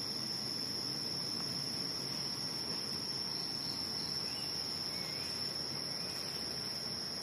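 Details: Insects calling at night, their sound mistaken for a motorbike: a continuous, steady high-pitched buzzing drone that never breaks, layered with a fainter higher whine and a low rumbling background hiss.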